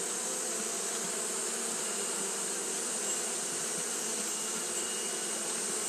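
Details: Japanese honey bees fanning without pause on a hot day produce an even, sustained buzz: low humming tones with faint overtones beneath a strong, steady high hiss.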